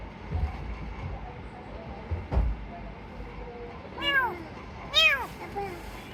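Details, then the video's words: Rescued kitten giving two arched, rising-then-falling meows about a second apart near the end, after a stretch of low rumble and a single sharp knock; faint voices in the background. "Cats Meowing"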